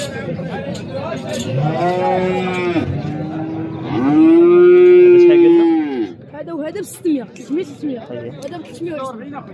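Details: Overlapping bellowing moos from calves at the Souk Sebt Settat livestock market. Several bawls rise into one loud, drawn-out moo, then fade into bursts of people talking and market noise.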